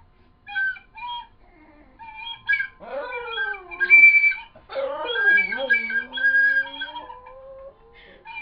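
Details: Pet dog howling along to an Irish whistle indoors: long wavering howls that rise then slide downward, mixed with the whistle's clear sustained tones and short melodic notes.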